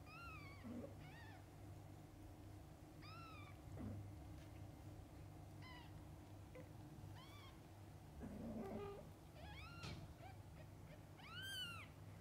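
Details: Mother cat and young kittens, from birth until their eyes open: repeated arched, high mews every second or two, with some overlapping, a louder drawn-out cry near the end, and soft low grunts over an indoor hum.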